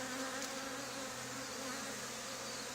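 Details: Swarming honey bees gathering on an old barn wall, drawn toward a box and a bag of comb taken from a hive removed two days earlier. A continuous droning buzz with a steady low hum underneath, unbroken throughout.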